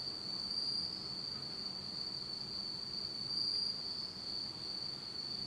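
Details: Japanese autumn insects calling at night in total darkness, a continuous high, ringing trill without pause, brief faint higher notes, and a soft low hum in the background.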